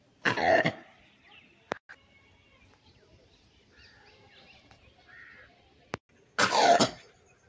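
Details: Two rough, explosive langur barks about six seconds apart, opening and closing the stretch, while faint bird calls and a couple of sharp clicks fill the near-silent interval.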